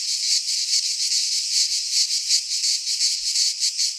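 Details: Midsummer cicada chorus in a Greek pine forest, a harsh high buzzing that swells and fades in quick regular pulses, roughly two or three per second, unbroken throughout.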